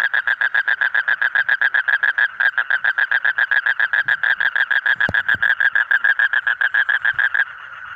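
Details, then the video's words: Loud frog croaking in a fast, regular pulsed rattle, dozens of short buzzy notes in quick succession at a steady mid pitch, ending abruptly near the close, with a brief click in the background. "Different Colorful Frog Sound"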